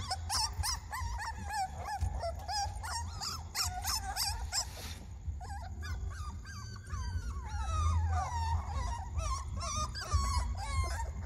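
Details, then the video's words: Puppies screaming: many overlapping high, wavering whines and yelps, often rising then falling in pitch, tumbling over one another almost continuously, with a steady low rumbling hum underneath throughout. "The sound puppies screaming"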